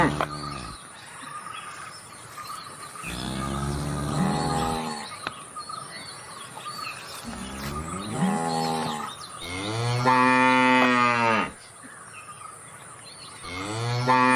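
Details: Cow mooing: four long, deep, drawn-out moos of one to two seconds each, rich and nasal, the third louder and rising. Faint bird chirps and a steady high tone run in the background.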